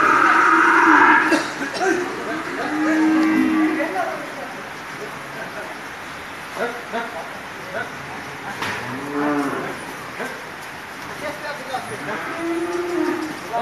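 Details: Qurbani bull, a big bull raised at a dairy and fishery farm for the sacrifice festival, lowing in several deep moos with rising and falling tone, amid background chatter of people and general farm noise.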